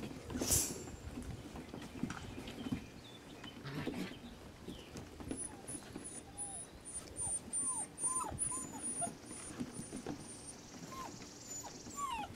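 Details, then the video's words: Rescue puppies give short curved whimpers after an opening thump, joined by a string of very high repeated squeaks and low background hum. "Rescue pups"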